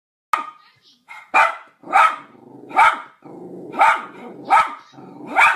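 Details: Dog barking over a Skype call, trading barks with another dog; loud, sharp barks about every three quarters of a second, with some quieter tonal sounds between them.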